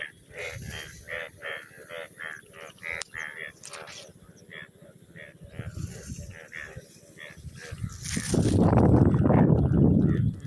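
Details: A frog in a crop field after rain gives rapid, rasping croaks, several each second, in a steady ratchet-like rhythm.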